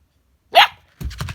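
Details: A single sharp bark from one of two female dogs, a husky and a chihuahua playing indoors while being told to lie down, followed by a woman speaking.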